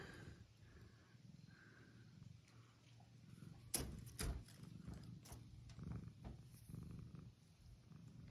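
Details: A domestic cat purrs in a steady low rumble, broken by a few sharp clicks and rustles, after coming out to greet its owner in the yard on a nice day.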